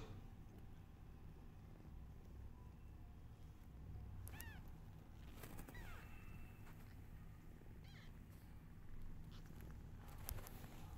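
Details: Newborn kittens meowing loudly while their mother is unwell: three or four thin, high, arching meows come a few seconds apart over a steady low rumble.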